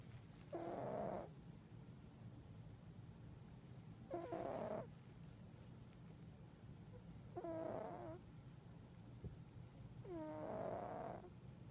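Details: A pet cat snoring in its sleep: four drawn-out nasal breaths about every three seconds, each a buzzy, tonal rasp with faint whistling, rising overtones, set over a steady low room hum.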